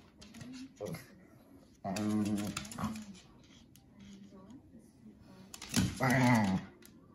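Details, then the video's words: A Shih Tzu/Pekingese mix and a German Shorthaired Pointer play fight, jealous over attention; two loud, drawn-out growling snarls about four seconds apart, with quieter grumbles between and a person's voice faintly heard. "Shih Tzu/Pekingese & GSP Fight!"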